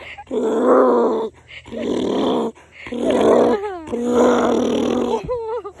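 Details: A little donkey in the United States brays in harsh, rasping honks broken by squealing, wavering intakes of breath as a girl calls him and he happily runs out to play.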